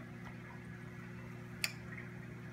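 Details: A pistol shrimp hiding in a crevice in a saltwater aquarium gives a single sharp, crackling snap that cuts through the steady hum of the tank's pump.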